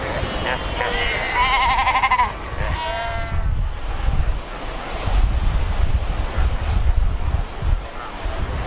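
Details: Cape fur seals at Cape Cross on the Skeleton Coast, a colony of over 100,000 by the ocean rocks; a loud wavering, warbling bleat in the first seconds, then heavy surf and distant cries.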